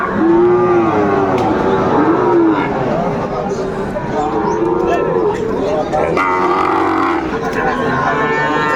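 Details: Sahiwal cattle at a crowded cattle market in Tangail, Bangladesh, where bull calves are being sold; several arching moos repeat through the first half, heard beneath constant crowd talk and music.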